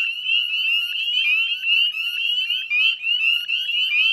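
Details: Spring peepers, northern form, chorusing at dusk by a salt marsh in Nova Scotia, Canada: loud, high upslurred peeps crowd together, several voices overlapping every fraction of a second.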